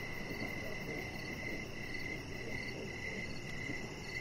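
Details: Crickets chirping in the evening beside a deck where a chihuahua puppy named Rocket lies under decoration lights; short high chirps repeat in a steady pulsing rhythm about twice a second over a low rumbling background.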